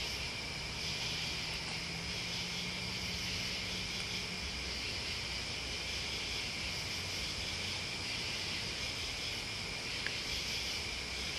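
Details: Crickets and other insects sing together in a dense, continuous high chorus, a steady shimmering buzz in two bright bands that never pauses, over a faint low hum in the background.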